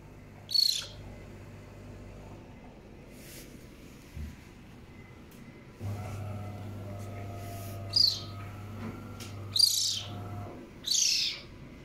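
A young caracal gives sharp, high, bird-like chirps, spaced a second or more apart.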